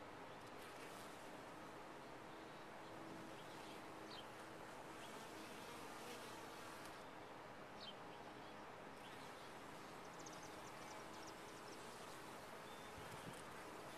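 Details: Steady low droning of honey bees in a top-bar hive, a faint held hum among the buzz, with occasional high bird chirps and some outdoor background noise.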